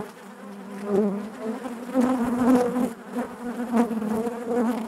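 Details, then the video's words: Loud, close buzzing of honey bees within the hive, the low droning tone pulsing in waves as bees move near, overtones wavering above the constant hum. "bees therapy hive natural buzzing sound"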